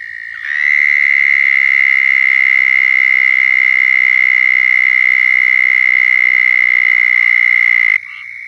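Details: Southern toad mating call in Florida: after a soft start, one long, loud, even high-pitched trill runs steadily for about seven seconds, then stops abruptly, leaving a quieter trill behind.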